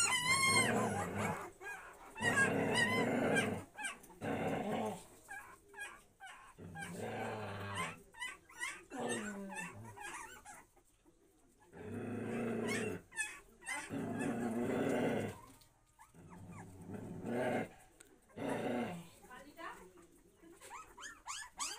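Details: Puppy growling in rough, low bursts lasting one to two seconds, broken by short pauses, with a brief high whimper near the start.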